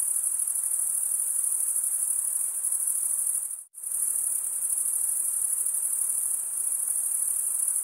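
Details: Male crickets stridulate by scraping one wing against the serrated vein of the other, making a shrill continuous trill that cuts out abruptly for a split second near the middle, then resumes at full strength.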